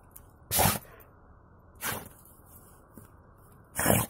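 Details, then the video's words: Snow in the nose sets off Buran, a mixed-breed Siberian watchdog, in a run of three loud explosive sneezes spaced over a few seconds, with a faint softer snort between them, in quiet outdoor surroundings. "Собака чихает. Буран расчихался"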